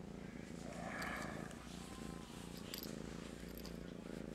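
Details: Master Shifu, a pet cat, purrs profusely in his morning routine, too groggy to stand and wanting attention; a steady low rumbling purr with rapid even pulses runs throughout while a woman softly greets him.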